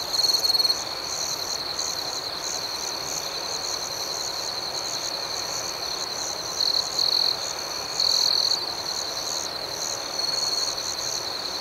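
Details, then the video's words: Crickets chirping at night: a steady high trilling tone with a second pulsing band above it, and brief louder bursts near the start and around eight seconds, over a soft hiss. "Soothing Cricket Sounds"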